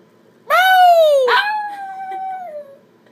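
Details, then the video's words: Chihuahua puppy sitting in a chair, howling and singing in response to a noise made by its owner: a clear, tonal howl that slides down, breaks briefly, then holds a long, steady, slightly falling note before fading. "Chihuahua puppy sings/howls in chair"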